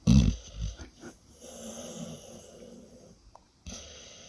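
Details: Sleeping female pet dog giving funny noises: a loud low snort at the start, then softer sustained wheezy breathing rising and falling, and another brief snort near the end.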